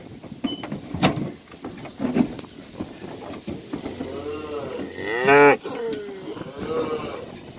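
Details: Cows and calves heading out to summer pasture on a farm; a loud harmonic moo swells and drops near the middle, followed by a softer lowing call, over shuffling hooves and scattered knocks.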